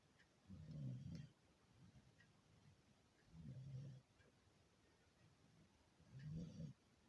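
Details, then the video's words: Sleeping beagle snoring: three deep, rumbling low snores, each lasting under a second and spaced about two and a half seconds apart, with quiet breathing between. "SNORING BEAGLE"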